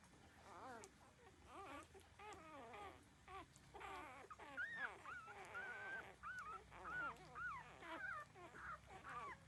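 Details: Puppies aged thirteen days suckling at their mother, producing strings of thin whining yelps, some bending upward into drawn-out whistly whines, repeated about once a second.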